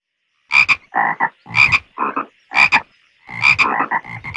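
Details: Frogs croaking in a pond: quick double-pulsed croaks with a bright, ringing edge alternate with lower, raspier notes, roughly one burst per second after a brief silent start, with a faint steady whine behind.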